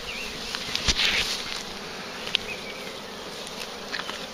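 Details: Swarm of bees, big and very active, being collected near a farm; steady dense hum underlies scattered clicks and taps, with a louder rustling burst about a second in.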